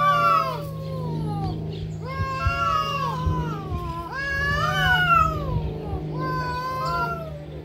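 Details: Cats fighting, giving long wavering yowls with harmonics that rise and fall, about four drawn-out cries across eight seconds, over a steady low hum.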